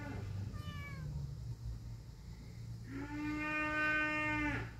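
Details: Kitten and adult cat meowing; a short high-pitched mew early on, then a long, loud, drawn-out meow with a rich harmonic stack near the end, over low background rumble.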